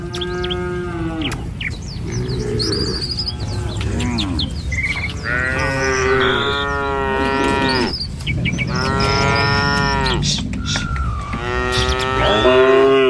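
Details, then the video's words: Tame cattle in a herd walking through a village on a morning trek to a feeding field. Several long, wavering harmonic moos overlap from different animals, with birds chirping steadily above them. "Suara Sapi Mouu"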